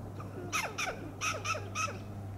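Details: Western gray squirrel alarm calls from a coast live oak in Del Monte Forest, California: five harsh, clucking barks in uneven pairs over a steady low hum.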